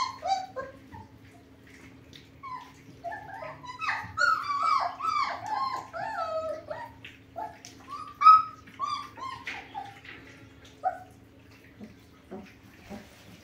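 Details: German Shepherd puppies of the Sieger x Karolina litter give softer, sliding whimpers and short squeaks that peak midway and then thin out to a few faint cries over a low steady hum.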